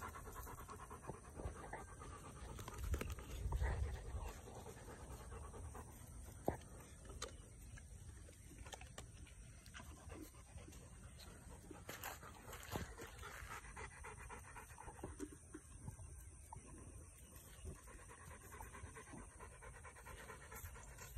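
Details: Quiet, steady huffing breaths from webfoot retrievers, Tugboat and his puppies, by a pond, repeated several times a second over a low murmuring outdoor background with occasional faint taps.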